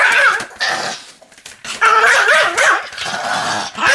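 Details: A rampaging Pomeranian gives loud, harsh snarling growls with wavering, whine-like pitch, in bursts broken by a short quieter pause.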